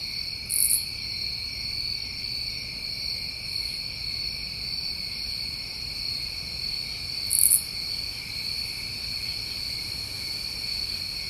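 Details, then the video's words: Crickets calling through a New England summer night, an even, ringing trill that never pauses, with two louder high chirps standing out near the start and again later. "Tinnitus Masking With Crickets"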